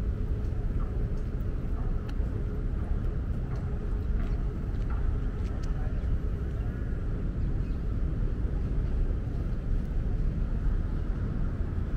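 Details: A deep, steady engine rumble fills the recording outdoors, with faint clicks and no clear animal voice.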